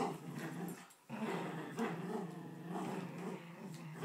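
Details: Poodles squabbling over a blanket give a near-continuous low, rumbling growl that swells and eases over four seconds, broken once by a brief pause early on.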